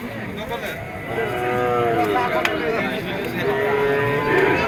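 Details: Small bull at a cattle market, lowing with drawn-out, low, harmonic moos that rise and level off, two long calls over several seconds, set against a noisy market crowd and bargaining voices.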